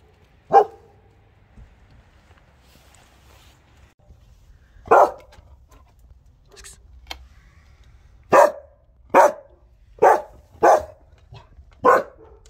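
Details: German Shepherd giving an aggressive, fierce bark that frightens people in the street: about seven loud, sharp, separate barks, one early, then a pause, then a quicker run of barks near the end, with quiet gaps between.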